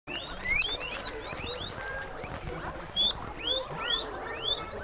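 Guinea pigs give a busy stream of high, rising squeaky whistles that overlap one another.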